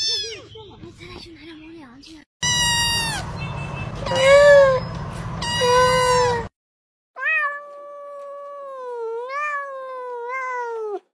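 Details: A kitten meows in a series of drawn-out, wavering cries, some rising and falling in pitch and several lasting over a second. A burst of rumbling background noise comes midway, and possible voices are heard faintly.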